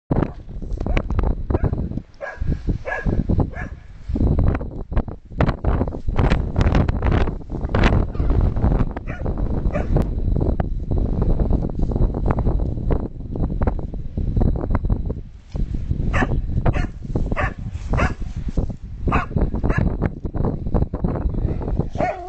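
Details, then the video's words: Pet dog Ollie, described as fearless, barking at the snow outdoors; a run of loud, rough barks in quick bursts, with heavy wind rumble on the microphone and a person's voice at times. "Ollie barking at the snow"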